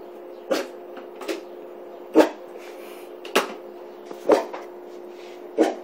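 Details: Ozzy, a nine-month-old Australian Shepherd, Bull Mastiff and Malamute hybrid puppy indoors, woofing in suspicion at a kettle on the counter: short soft muffled woofs, about six spaced over six seconds, over a steady low hum.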